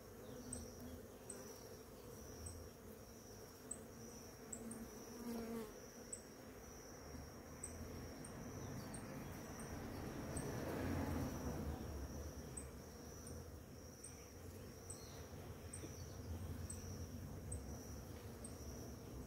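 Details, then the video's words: Bees swarming over flowering ora-pro-nobis in the morning make a deep, droning buzz that swells louder near the middle as one passes close. A steady high insect whine and repeated high ticks continue behind it. "orapronobis florida com muitas abelhas"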